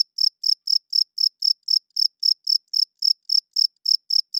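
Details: Short burst of loud cricket chirping at night: about seventeen bright, high pulses in quick, even succession against complete quiet.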